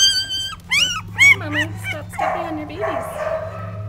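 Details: Gidget, a mother dog, with her nine puppies: a run of high, wavering whines and yelps, sliding up and down in quick bursts over about a second and a half, followed by a woman's soft talking.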